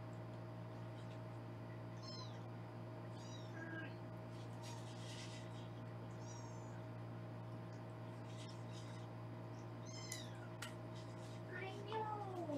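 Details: Foster kittens in a Los Angeles home, filmed on a live kitten cam while being weighed; a few thin, high, arching mews sound at scattered moments over a steady electrical hum, with faint handling noises.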